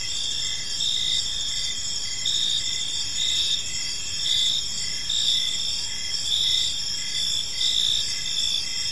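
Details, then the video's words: Gentle chirping of crickets in a serene park at evening, many insects overlapping in a bright continuous trill, punctuated by short evenly spaced chirps. "Cricket Sounds in a Peaceful Park"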